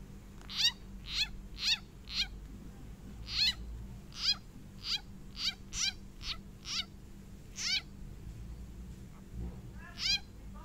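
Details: A frog cries out in distress while being eaten by a snake, giving short, high, sharp, nasal harmonic squeaks about twice a second, each abrupt and slightly falling, in a fast uneven series over a low hum and hiss.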